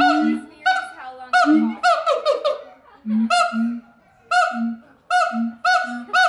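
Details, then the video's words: Siamangs singing at the Los Angeles Zoo, California, in loud, nasal, honking barks that come in quick bursts, some rising and wavering. "Singing Siamang Monkeys – LA Zoo"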